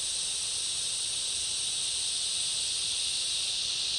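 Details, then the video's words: Cicadas and other insects chorusing in a summer rainforest: a brief, unwavering wall of shrill, high buzzing, layered in two bright high bands and constant in volume. "Summer rainforest ambience, cicada chorus and other insects"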